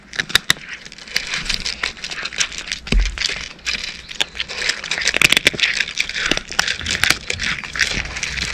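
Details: Dry cat food being crunched by a cat, rapid crackling bites with sharp snapping peaks, a soft low thump near the middle, faint background hum.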